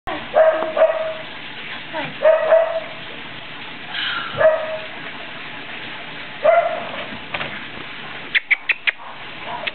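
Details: Eight-week-old Norrbottenspets puppies outdoors in the rain, not thrilled about the weather: tonal whines and yelps in short bursts, bending up and down in pitch, then a quick run of sharp clicks or yips near the end.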